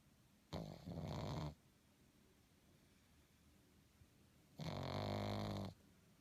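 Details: Sleeping pug snoring: two loud, rough, rattling snores about four seconds apart, each roughly a second long, with a low throaty buzz and quiet breathing pauses between them indoors.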